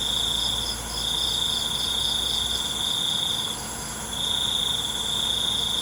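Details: Crickets in the night in a calming nature-sound recording: a sharp, level trill sustained for two to three seconds, broken by short pauses, with a faint throbbing buzz overhead and a constant high insect hiss.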